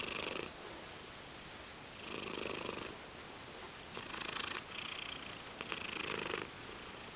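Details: Domestic cat purring while getting chin scratches indoors, a soft rumbling purr that swells and fades with each breath, roughly every second, over a faint steady electrical hum.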